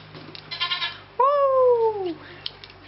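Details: A domestic goat in a herd, reportedly thrilled with its new collar, lets out one loud, clear bleat lasting about a second, rising slightly and then sliding down. Faint human voices come just before it.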